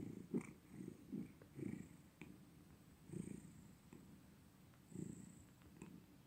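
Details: A cat's purr, low and buzzy, pulsing in short rumbling surges with pauses between, accompanied by occasional faint ticks and a steady soft hiss.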